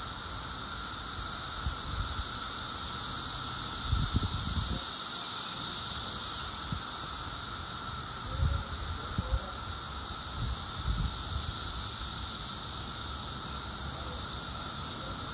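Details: Chorus of 17-year periodical cicadas exactly two weeks after emergence, at peak loudness: constant high whining hiss filling the air, with faint low thumps and a brief chirp from another creature midway.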